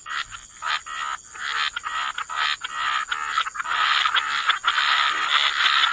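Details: Chorus of croaking frogs by the waterside in wetlands: dense, overlapping rasping calls pulse rapidly and build into a near-continuous wall of sound, over a steady thin high hiss.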